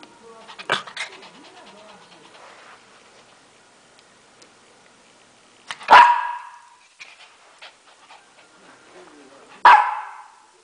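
A Lhasa Apso gives three sharp, single barks, spaced several seconds apart.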